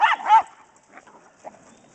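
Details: Pet dogs, a mastiff, a shepherd and a chihuahua, playing fetch with a ball; two sharp barks in quick succession open, then near silence with faint scuffles.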